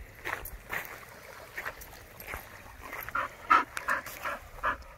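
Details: Dog panting in quick, breathy, irregular bursts of several puffs per second, with a few short whine-like tones near the end; a scene of dogs that love to swim, with no other clear sounds.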